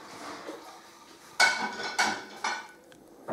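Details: Clinking dishes and cutlery in a small room, with sharp metallic knocks repeated about every half second.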